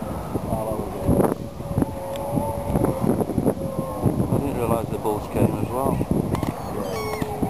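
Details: Seals at a breeding colony of hundreds with newborn pups, Donna Nook Nature Reserve, Lincolnshire, 19 November: long, drawn-out moaning wails held steady for several seconds, overlapping one another, with people talking nearby and a steady background hum.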